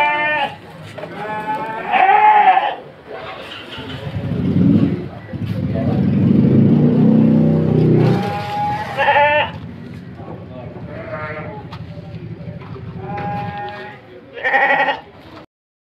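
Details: Petetan feeder sheep of good quality in a pen at Kepuh, Padalarang, West Bandung, Indonesia; several short harsh quavering bleats come at irregular intervals, over a man talking and background music.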